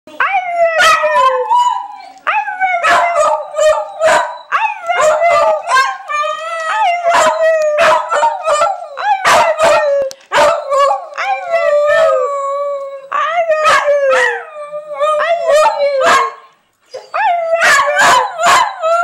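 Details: Honey, a pet dog, coaxed into saying "I love you", gives a run of short, wavering howling yowls near one pitch, each bending and warbling, broken by sharp clicks and thumps, with near-continuous vocalizing across the stretch.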